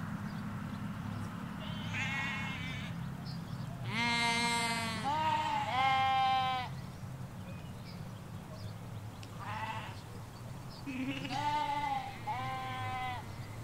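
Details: Sheep, ewes with their lambs, in a field in the Hampshire countryside give quavering, nasal baas from several animals, some short, others drawn out and trembling, over a low continuous rumble, likely wind or distant road traffic.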